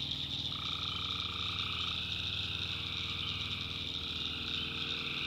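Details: Tree frogs calling at night in a swamp in the backwoods of North Carolina: a dense, unbroken high-pitched chorus, with a lower steady drone that enters after half a second, over a soft pulsing rumble.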